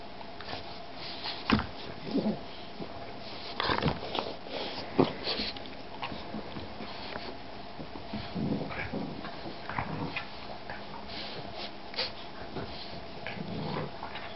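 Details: Boston bulldog and shar-pei mix puppy playing indoors in a small room; short scattered grunts, sniffs and soft whimpering bursts, loudest near the start, over a steady low hum.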